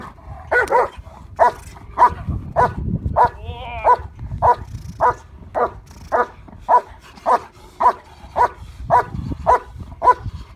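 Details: Yukon vom Patiala, a German Shepherd in Schutzhund IPO protection training with a decoy ahead of a trial, delivers a rhythmic series of forceful barks near twice per second, briefly broken by a whining, wavering sound.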